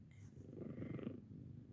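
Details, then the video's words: Bella, an elderly 15-year-old pet cat, purrs at home during an informal hearing check. A soft, low rumble builds through a single breath and then eases off, with faint background hiss and no other sounds. "Hearing test (and purring)"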